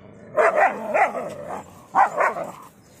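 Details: Fight between a Rajapalayam dog and a German Shepherd: a rapid run of three or four harsh, tonal barks, a brief pause, then two more barks.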